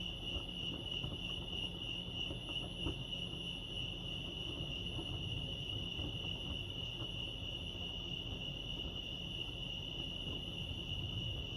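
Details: Chorus of crickets at Lake Arrowhead in California, a continuous shrill ringing tone that holds level throughout, with a soft low murmur of ambient noise underneath.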